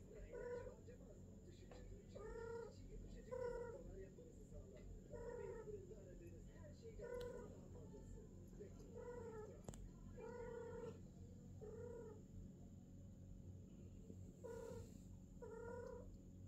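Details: Female British longhair cat during her first mating, with golden and silver British longhair and shorthair cats, giving short harmonic wailing calls repeated roughly every one to two seconds over a steady low hum.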